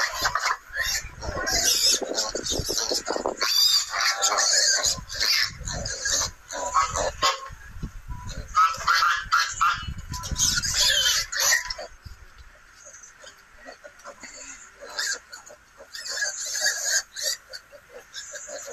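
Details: Wild boar at a nursery, squealing and grunting in loud, harsh, irregular bursts for about twelve seconds before the calls fade to quieter, sparser squeals.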